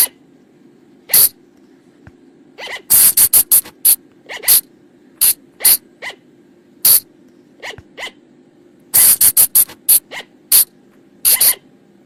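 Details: Flying lemur (บ่าง, พุงจง, พะจง) calls, used to lure the animals at night, from the forest: short, harsh, broadband bursts, single or in quick clusters, at irregular intervals over a steady low hum.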